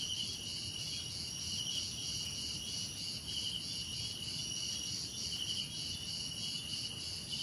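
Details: Relaxing cricket sounds: an even, shimmering chorus of high trills in stacked layers, the lowest pulsing in rapid bursts, sustained for the whole stretch over a quiet low rumble.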